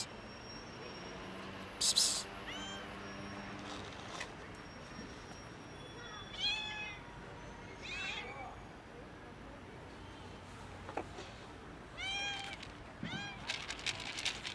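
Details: Hungry kitten jumping onto a bench for breakfast, giving several short, thin, high meows in small clusters, some rising then falling, over a steady background hiss with a brief louder clatter near the start.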